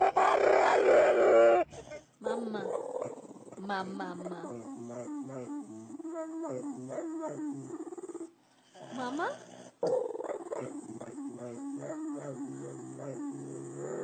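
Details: Dog vocalizing in a funny grumbling way: rapid, repeated low growly grunts and whines in quick succession, almost like talking, with a louder noisy burst at the start and a brief pause midway.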